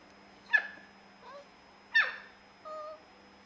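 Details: Baby puppy giving four short vocalizations over about three seconds: two sharp high yelps that drop quickly in pitch, each followed by a softer, steady tonal whine, against a quiet background with a faint low hum.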